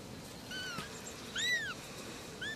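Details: Little kittens meowing: a few short, high, arched mews, one stronger cry near the middle and a brief one at the end, over a soft steady background hiss.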